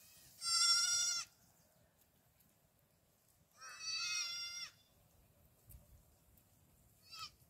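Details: Young black goat kids on a farm in Gimhae, South Korea, filmed 8 July 2022 while running about; two loud, nasal, wavering bleats about three seconds apart, each near a second long, then a brief faint bleat near the end.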